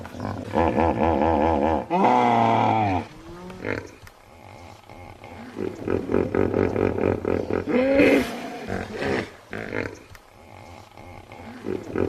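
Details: Hippopotamus calls. The first three seconds hold a loud, deep bellow with a wavering pitch, followed by rougher grunting pulses. A brief higher squeal comes near the eighth second, among further grunts.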